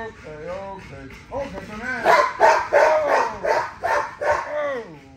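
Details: Exercising female XL ghost tri American Bully, Nyla: wavering, whiny tones build into a steady series of loud barks about every half second, then end in a falling whine. Voices are heard in the background.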